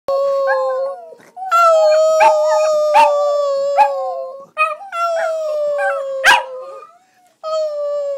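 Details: Border Terriers, several pet dogs, howling while singing along with their owner: long sustained tonal howls with rich harmonics, wavering and sliding in pitch, in overlapping bouts separated by brief pauses and sharp yips.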